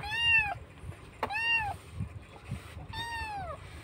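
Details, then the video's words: Rescued kitten in Indonesia calling out loudly as it misses its mother; three clear, tonal meows that dip downward at the end, spaced about a second and a half apart, with a sharp click and a person murmuring softly nearby. "anak kucing menangis keras rindu ibunya"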